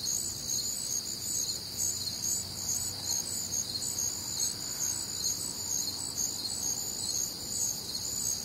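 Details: Warm, humid summer night in the Midwest: crickets and other night insects form a constant shrill chorus of layered trills and rapid chirps, unbroken throughout, with only a soft low background hush beneath.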